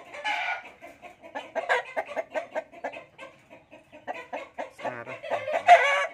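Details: Gamecocks for sale cluck in quick, evenly spaced short notes, several each second. A harsh, louder burst comes at the start and again at the close.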